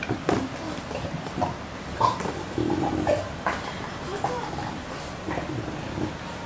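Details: Two English Bulldogs, aged about two years and nearly two years, give short, pig-like grunts and snuffling snorts indoors, with faint voices in the room.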